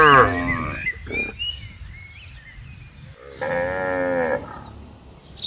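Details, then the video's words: Tame herding cattle on broad green land calling the herd to gather: a short moo at the start, then after a pause a steadier, fuller one-second moo, with faint thin chirps in the background. "suara sapi panggil kawanan moo"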